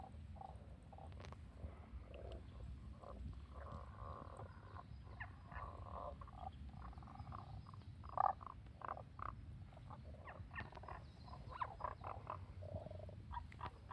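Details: Tago's brown frogs (Rana tagoi) in the mountains, possibly the source, give short, low, knocking croaks in scattered bursts over a steady rumble.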